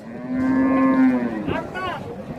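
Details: A single steady, deep moo from cattle at an Indian cow market holds for almost a second, then fades into traders talking about teeth, weight and asking price.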